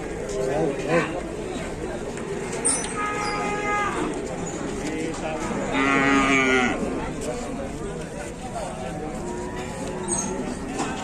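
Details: A female cow that had been stuck and was rescued by dozens of villagers working together in Indonesia lets out drawn-out, harmonic-rich moos in the middle of the stretch, while many people talk and call out around her.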